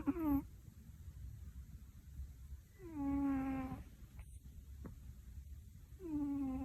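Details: Snoring of Tora, an overweight cat, in a small quiet room, linked to possible sleep apnea syndrome. Loud, tonal, downward-sliding groans with stacked harmonics come about every three seconds, with soft breathing noise between them.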